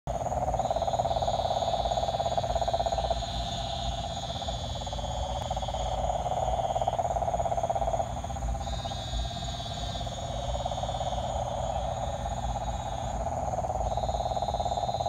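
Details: Frogs calling in a dense, steady chorus: a continuous low pulsing trill holds one pitch throughout, while a higher, thin buzzing trill rises and falls in bursts of a few seconds over a constant background hum.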